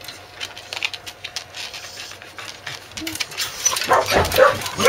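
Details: A corgi at a kennel, clingy during days of continuous rain in July, gives high, squeaky whines over a steady patter of rain. Corgi.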